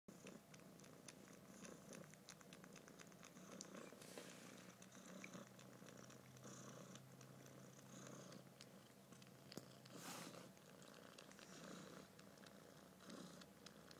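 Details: Male kitten purring steadily while held by the head indoors, a low rumbling hum sustained throughout with soft handling rustles and scattered clicks above it.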